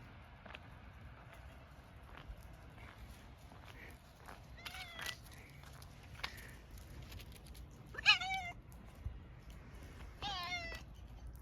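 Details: Tortoiseshell cat, a community stray, meowing on noticing the person after approaching half in doubt: faint chirps first, then two clear wavering meows near eight and ten seconds, over low background noise.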